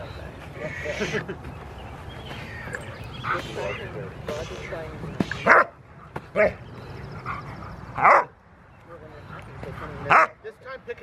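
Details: Six-month-old Rottweiler puppy playing with two people at a Rottweiler club on June 15, 2020; several short, sharp barks come in the second half, spaced about two seconds apart, over steady talking from the handlers.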